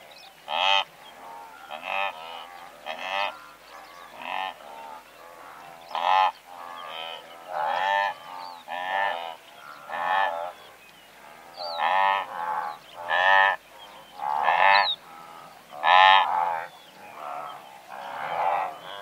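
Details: Blue wildebeest, a herd of several hundred, grunting and honking in rapid overlapping bursts about every second or so, some calls rising at their end, with thin bird chirps above the din.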